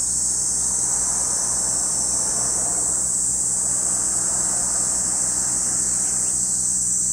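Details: At Lake Kamo, Sado City, Niigata Prefecture, Japan, cicadas keep up a continuous piercing high buzz, while a broad rushing rumble, like passing traffic, swells through the middle range.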